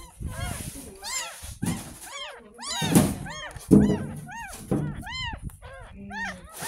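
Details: Kitten ten days old being bathed for the first time after rescue from a drain, crying in loud rising-falling mews mixed with a girl's speech, thumps and music.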